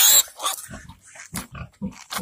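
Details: Pig giving birth, recorded 28 July 2020: short, low grunts come in about four quick bursts across two seconds, after a loud hissing rustle at the start.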